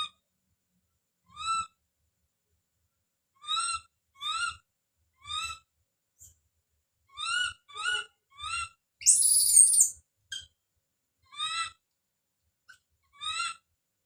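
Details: Young monkey named Don crying out: scattered single and paired high, clear wailing notes separated by silent gaps, with one loud, harsh scream partway through.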